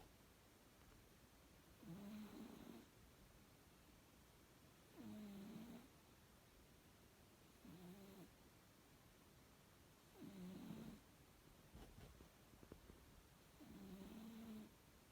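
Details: Cat M-san asleep and snoring at bedtime: five low, breathy, rumbling snores, each about a second long, spaced about every three seconds in a quiet room.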